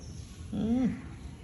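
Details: A pet cat being scratched and stroked gives one short meow, about half a second long, rising slightly then dropping, with faint harmonics above. A steady low hum sits underneath.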